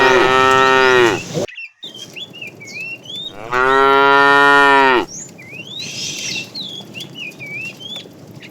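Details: Two loud, drawn-out bellows from a fat cow in a tame herd herded in the afternoon, calling to the female, separated by a pause filled with chirping birds.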